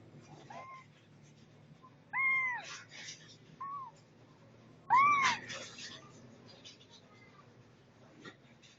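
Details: Setty, a pet cat, lets out three drawn-out meows, curving up then down, separated by quiet pauses of roughly a second and a half, with soft rustling under the louder calls.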